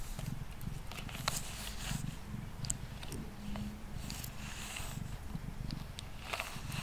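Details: Mango, a pet cat, purrs indoors on a table while being brushed; deep vibrating purr in slow breathing cycles beneath frequent bristly brushing sounds.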